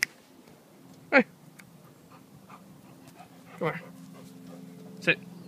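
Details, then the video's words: Excited female dog after sniffing at a wood pile gives three short, whining yelps that sweep up and down in pitch, spaced a few seconds apart, over a steady low hum. "The dog is freaking out and barking like crazy"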